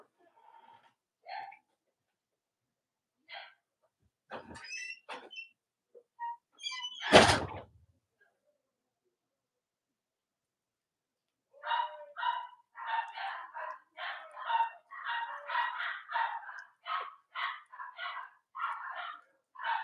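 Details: Cavalier King Charles Spaniel puppies from the litters of Robin and Myra, on a chilly Monday morning near Halloween in the US: scattered squeaks and a loud thump, then a steady run of high, rapid squeals and whines.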